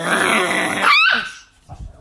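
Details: Angry Chihuahua named Nikki: a rough, noisy growl lasting nearly a second breaks into a sharp, falling yelp, followed by quieter scuffling sounds.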